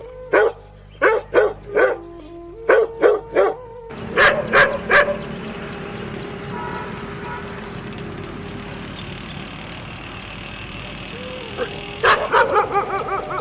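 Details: Dog barking in sharp bursts, a quick cluster of about eight barks over the first four seconds, then a long stretch of steady broad hiss and hum before a short burst of barks returns near the end.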